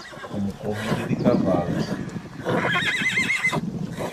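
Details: A horse gives a single wavering, quavering whinny near the end, after a stretch of a man's voice talking over low rumbling background noise.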